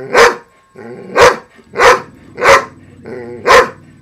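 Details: Female pet dog barking at a noisy broken robotic frog toy with a loud motor; five sharp barks spaced about a second apart, with the toy's buzzing motor audible in the gaps.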